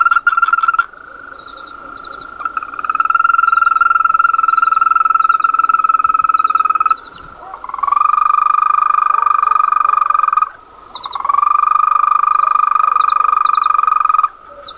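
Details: A lone male European green toad singing: long, steady, high rolled trills lasting several seconds each, three main bouts separated by short pauses, with faint higher chirping trills from other callers in the background.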